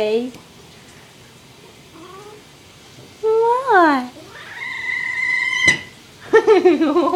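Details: Mr. Whiskers, a rescued male kitten wearing a diaper indoors because he has started spraying, gives several whiny meows: a short rising-falling cry, then longer harmonic wails with a sustained flat tone, and one sharp click between them.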